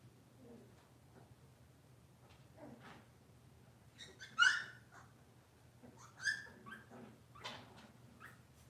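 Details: Cavalier King Charles Spaniel puppies or adults in a kitchen on a cloudy morning, giving high, thin yelps and whimpers, two loud squeaky yips standing out midway, with soft whines in between and a low electrical hum beneath.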